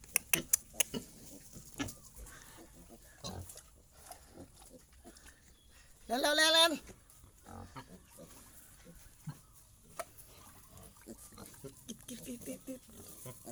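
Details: Resting wild boar family of father, mother and young, giving a single loud squeal that sweeps upward then falls, under a second long, among scattered clicks, rustling and brief human speech.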